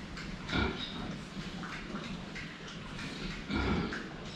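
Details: Pigs drinking water, seen from the front: two short, harmonic grunting bursts about three seconds apart, over a steady low rumble and background noise.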